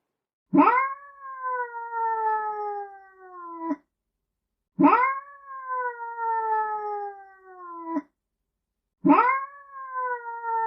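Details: Domestic cat meowing, from a collection of meows meant to attract cats: three long drawn-out meows, each about three seconds, starting with a sharp rise then sliding slowly downward, spaced about four seconds apart with silence between.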